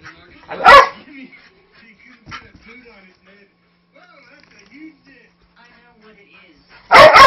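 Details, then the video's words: A five-year-old Manchester Terrier mix rough-housing with a three-month-old husky-lab puppy gives one loud bark, then quiet scuffling and faint murmurs, and finally a sharp double bark. "very vocal (but harmless) Terrier mix"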